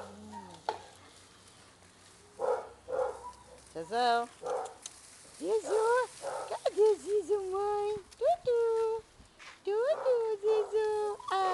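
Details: Basset Hounds playing at a Brazilian kennel, producing many short tonal yelps and whining howls that bend up and down in pitch, crowded together with rough barks and low background music.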